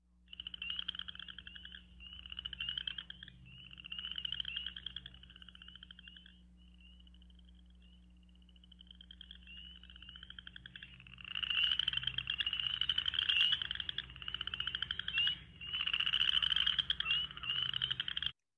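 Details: Western chorus frogs, tiny thumb-sized frogs of Michigan calling in spring, give rising, pulsed creaks of about two seconds each, like a thumbnail run along a comb.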